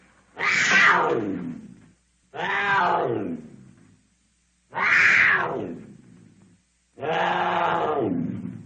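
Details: Cougar giving four drawn-out, harmonic yowling screams, each about one and a half seconds long. Every call starts bright and high, then sags downward in pitch, with short gaps in between.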